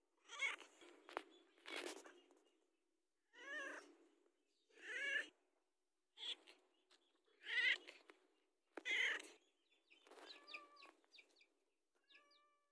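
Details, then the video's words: Domestic cat pleading for food, its warbling, quavering meows mixed with sharp clicks and knocks, ending in a few fainter, thinner calls. "SUARA KUCING"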